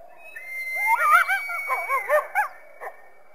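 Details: Coyote: a quick run of short arched yips and warbling yelps, each rising then falling in pitch, over a faint thin steady high tone, ending with a few scattered brief cries.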